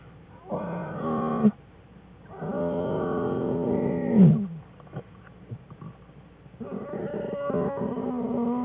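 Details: Whining black bear cubs in a winter den with their mother Jewel, January 5, 2013: three drawn-out, nasal, harmonic whines, each one to two seconds long, separated by short quiet gaps with faint rustling.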